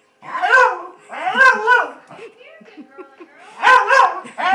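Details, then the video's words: Female Glen of Imaal Terrier at an eye vet's office, barking to announce her presence to staff behind a tall counter: three loud, harmonic barks, the last a rapid double, with faint indoor sounds between. "Emma the Glen announcing herself"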